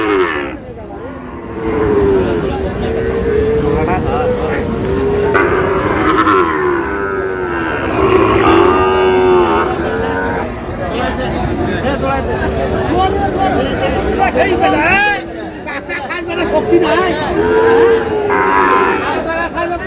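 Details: At a Sylhet cattle market, Bangladesh, Sahiwal bull calves low in a series of long, wavering moos, some rising and falling, mixed with steady human voices and market babble.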